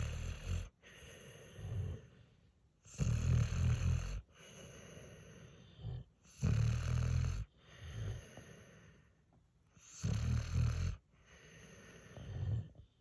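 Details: Sleeping Pit Bull puppy and senior Mastiff/Pit mix, drooling while they doze, snore in deep, rasping bursts roughly every three seconds, each loud inhalation followed by a quieter, softer breath before the next snore.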